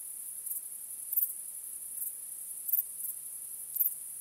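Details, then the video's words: Crickets chirping on a starry night: a steady, very high-pitched shrill trill with brighter pulses swelling out of it at uneven intervals of roughly half a second to a second. No other sounds stand out. "Cykanie Świerszczy 🦗 Gwieździstą Nocą 🌙 {Night Crickets Sound}"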